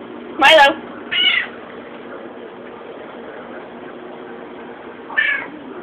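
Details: Milo, a pet cat, asks for his cat food: a loud opening meow, a second shorter one a moment later, then a pause before a third rising meow near the end. Constant room hiss underneath.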